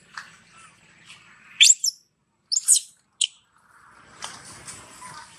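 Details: Brinn, a weaning young monkey, cries for its mother's milk: a few short, piercing, high screeches close together in the middle, with quieter rustling and faint murmuring before and after.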